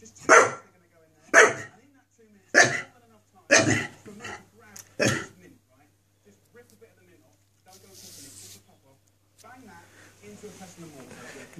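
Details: Pet Staffordshire Bull Terrier barking at a wire: five loud, sharp, deep barks about one second apart, then quiet with faint rustling and a steady low hum.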